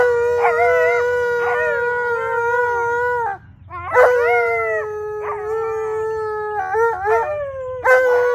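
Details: Alaskan Malamutes Tonka and Monroe join in a St Patrick's Day howl; steady drawn-out tones from two dogs, with a short break midway and brief yips and wobbles breaking into the long held notes.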